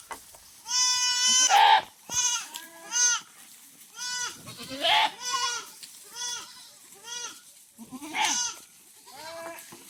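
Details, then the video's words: Several goats on a farm, desperately thirsty in very hot weather, bleat in overlapping succession: loud, nasal, trembling bleats, some long and drawn out, about a dozen calls over ten seconds with short quiet gaps. "SUBRANG INIT NG PANAHON UHAW NA UHAW ANG MGA KAMBING"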